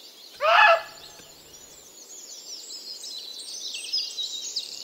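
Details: A female muntjac, one of a pair eating peanuts in a British garden at dusk, gives one loud, harsh, abrupt alarm bark on sensing the watcher, then falls silent amid faint high bird chatter and hiss.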